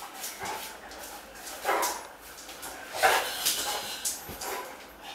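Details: Playful Great Dane, Cartier Bresson, at home in a Sao Paulo apartment in August 2014, gives several short, moderate barks and huffs spaced about a second apart, mixed with scuffling and clicking sounds of play.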